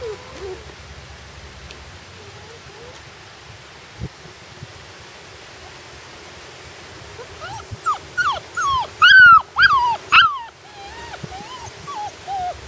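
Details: Puppies on their first day outside whimpering and yelping: faint high whines early, then from about seven seconds a burst of loud, rising-then-falling whines with rich harmonics, several in quick succession, fading to softer whimpers; light low rumble beneath.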